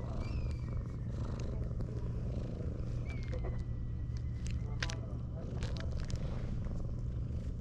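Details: Continuous low throbbing purr from a ginger tabby cat snuggling up to a person after pushing a rival cat away, with a few sharp clicks and faint whistled notes over the steady rumble.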